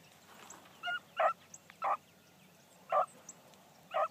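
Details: Female Blackcreek hound Bee on the trail during her first run one morning: a few separate barks spaced about a second apart over a quiet, faintly hissing outdoor background.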